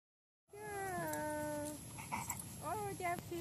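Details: Felix, a pet Bull Terrier, rolls in the grass after a walk in early spring. He gives a drawn-out whining moan lasting about a second, steady then falling, followed by short voiced sounds and a person talking.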